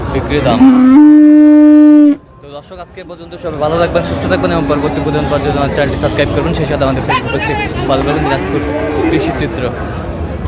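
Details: Raniganj market in Dinajpur, Bangladesh, 24 April 2025, with Friesian and crossbred bull calves for sale: a loud, level moo lasting over a second opens, then market voices and hubbub take over.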